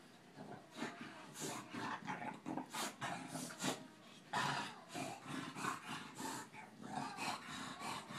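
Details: Tinker Bell the Boston terrier and Lala the bulldog at play: low grumbling growls and snorts broken by clattering scuffle noises and quick sharp knocks.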